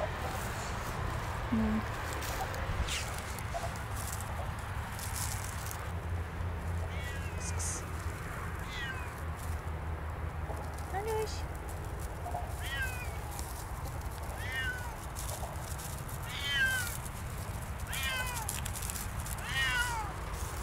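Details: Siamese cats Otani and Yozora on an off-leash winter walk through a frosty forest at sunset, near a frozen puddle. Short, falling, faint meows repeat every one to two seconds over steady wind rumble and crunching footsteps.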